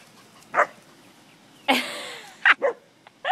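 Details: English springer spaniels playing with cattle; a few sharp, short barks spaced irregularly, with a broad rushing burst midway and a yelp near the end, plus a person's laughter and urging nearby.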